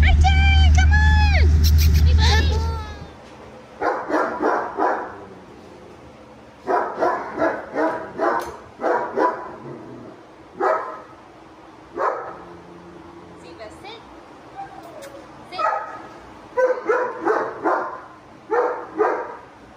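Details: Triton, a German Shepherd with dog aggression, barks in repeated bursts of two to four sharp barks separated by short gaps, preceded by a brief loud tonal sound and low rumble.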